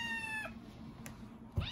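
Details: A hungry kitten or cat in a home meows while asking for food: a drawn-out harmonic mew for about half a second, ending in a downward slide, followed by a short rising note near the end.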